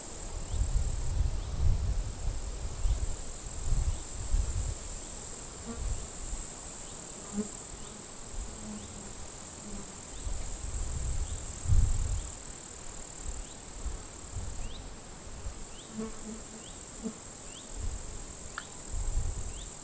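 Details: At a forest edge at the end of July, grasshoppers crackle in dry withered grass as a strong wind blows; a continuous high, thin hiss sits above loud rumbling wind gusts.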